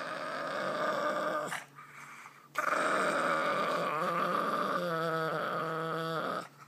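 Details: Grumpy Boston Terrier growling indoors: sustained, harmonic rumbling grumbles that pause briefly, then resume and turn pulsing and stuttered toward the end.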